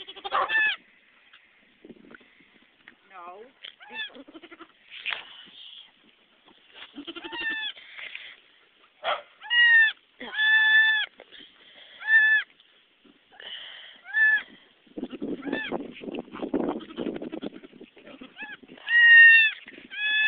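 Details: Newborn goat kids and their nanny at a birth: irregular short bleats, some wavering and drawn out, scattered across the recording, with human chatter and handling noise in between.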